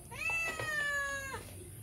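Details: Cat meowing to beg for food beside a house, a single sustained meow of just over a second, steady and slightly falling at the end, with faint background sounds.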